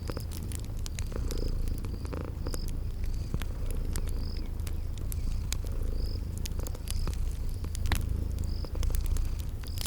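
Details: Sleeping kitties purring in a cozy spring garden ambience beside a crackling fireplace: a steady low rumbling purr runs throughout, with sharp fire crackles and a short high chirping insect call repeating every second or so.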